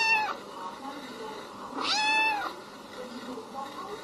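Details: A blue-eyed female kitten (Felis catus) gives a high, thin meow that rises and then falls, with fainter mews around it.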